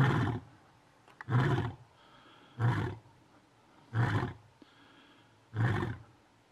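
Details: A lion gives a series of deep, breathy grunting roars, one about every second and a half, at Doornhoek Dam, Mountain Zebra National Park, South Africa.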